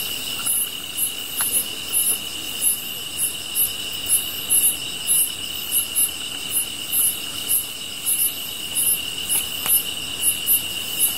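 Grass insects chirp steadily: a constant high trill with sharper, very high pulses repeating about three times a second.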